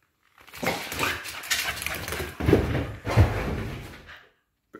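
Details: Estacado, a 12-month-old male Patterdale Terrier fell dog weighing 12.3 kg, at playtime indoors: rough, growly bursts and scuffling noises come in uneven clusters for about four seconds, then stop.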